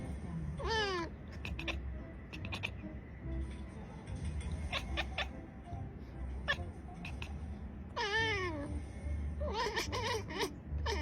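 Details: Domestic cat meowing in short, wavering, bending cries, one near the start and several more near the end, with soft music and a low hum underneath.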